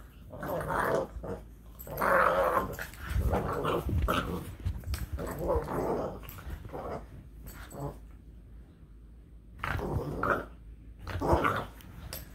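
A Boston Terrier grumbles and growls in rough, throaty bursts, with squeaky, nasal noises between them. The sounds come in uneven spurts while the dog plays indoors.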